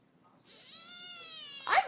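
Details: A pet cat talking to its human: one long, drawn-out meow with a flat, slightly arching tone, followed by a sudden loud burst at the end.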